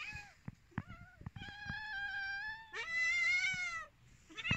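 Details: Domestic cats waiting for food: long, drawn-out, steady meows with rich harmonics, one stretching over a second, then a shorter rising call at the end, with soft clicks between.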